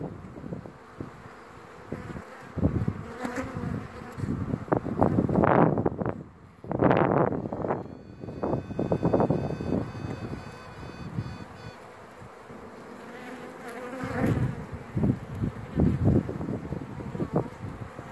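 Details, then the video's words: Honey bee virgin queen song inside a hive: a steady low hive hum broken by loud buzzy bursts, most dense between five and ten seconds, with faint thin high tones partway through. "Chant reine vierge"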